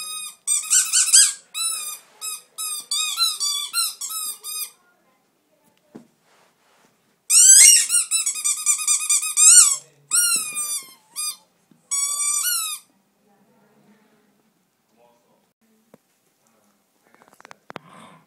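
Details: Indoors, Blenheim and Jetson, two Miniature Dachshunds, give long runs of high-pitched squeaky whines, some rising, some falling, in three bursts separated by short silences, fading to quiet near the end.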